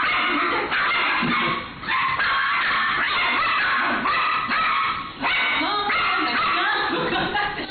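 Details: A Chihuahua in an indoor dog run at a pet shop barks in shrill, rapid yapping bursts, trading noisy barks with a miniature dachshund newly introduced to the dog run.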